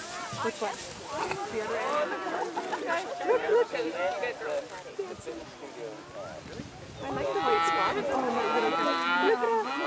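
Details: Dairy cattle at Roaming Valley Farm, let out on pasture for the first time this spring, running and jumping; a long, drawn-out harmonic moo swells in the last seconds above steady background chatter of people.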